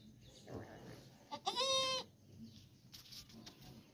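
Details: Goat bleating around the birth of a female kid: one short harmonic bleat lasting about half a second, preceded and followed by faint rustling background noise.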